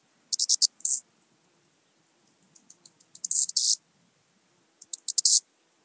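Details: Eastern banded grasshopper stridulating in Zalahalap, Hungary, on 18 July 2022: bursts of high, dry rasping pulses, a short series of ticks followed by a louder hissing buzz, repeated about every two to three seconds, with faint softer ticking between.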